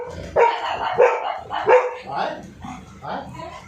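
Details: Dog scared of a drilling machine gives several short harmonic barks about every 0.7 seconds, followed by softer whining yelps near the end, with a light background hum.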